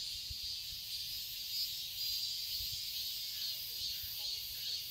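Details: Cicadas buzzing in a summer garden in Seoul, Korea. The high, hissing chorus is steady and unbroken, rising slightly in loudness midway, with occasional soft low thuds beneath.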